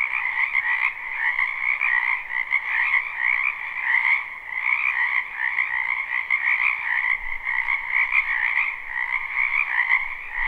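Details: Frogs crowding a spring wetland behind a home, recorded live: continuous overlapping croaks form a shimmering trilled chorus with a dominant upper band and a softer lower one, volume swelling every few seconds.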